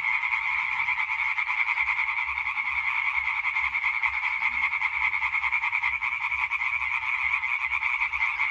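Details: European tree frogs in a dense calling chorus recorded on 20 May 2023: overlapping rapid, rasping pulses merge into a continuous loud drone, bands around two and one kilohertz steady throughout.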